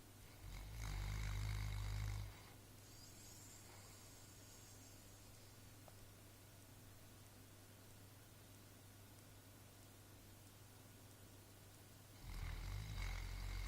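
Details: Pig snoring, recorded in March 2014: deep, rumbling snore lasting nearly two seconds, then a long quiet stretch with a steady low hum before the next heavy snore begins near the end.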